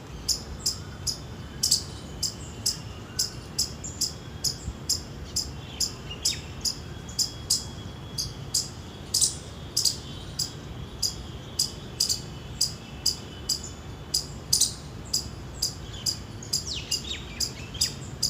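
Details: Indian palm squirrel. An Indian palm squirrel chirps with short, piercing, high chips repeated evenly and quickly for the whole stretch. A low background rumble runs underneath, and a faint bird call slips in near the end.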